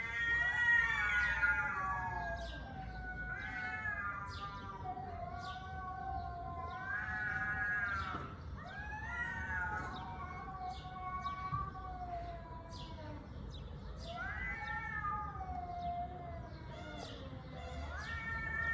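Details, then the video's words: Domestic cat meowing repeatedly, long drawn-out wavering cries rising then sliding down, one every three seconds or so, with harmonic, whining tone over a soft low background hum. "KEDİ SESİ"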